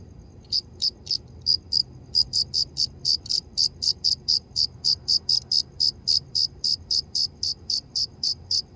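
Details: Cricket chirping: rapid, regular high-pitched pulses repeated about four times per second, steady and bright, over a faint low background hum.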